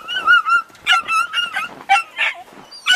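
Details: Domestic dogs Sobol, a pushy stud male, and female Taina meeting while visiting relatives, she first letting him near then fighting him off; high, drawn-out whines and yelps rise and fall in quick succession, around seven cries in three seconds.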